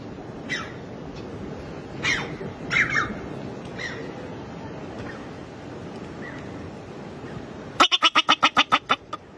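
A bobak marmot gives sharp, scattered squeaks, then a fast burst of loud, harsh repeated chirps.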